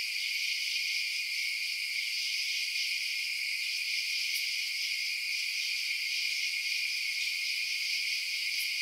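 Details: Night-time crickets forming a continuous high, buzzing wall of chirps with faint pulsing texture; two brief sharp ticks stand out above the steady chorus.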